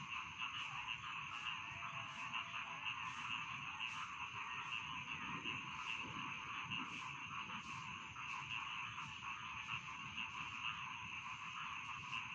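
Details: Dense rasping chorus of rice field frogs with rhythmic sharp clicks recurring about twice a second over a steady trilling drone and low rumbling noise.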